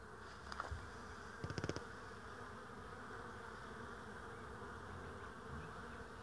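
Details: Constant low droning hum of many bees recorded 22 April 2016, with a few short clicks and taps early on, then an unbroken even buzz to the end.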